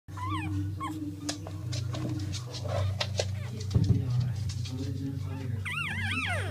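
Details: Ten-day-old English Staffordshire Bull Terrier puppies, born September 19, 2016, give high, wavering squeaks and whines over a steady low hum.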